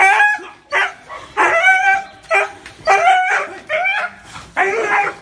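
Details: A dog gives six loud, separate barks, each a harsh, slightly rising yelp, spaced roughly a second apart with quiet gaps between them.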